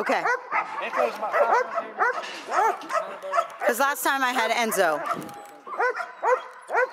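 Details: Quick, sharp barks from Echo, a seven-month-old male dog that has started bitework, repeating roughly twice a second and broken midway by a short burst of higher, quavering yelps before the steady barking resumes.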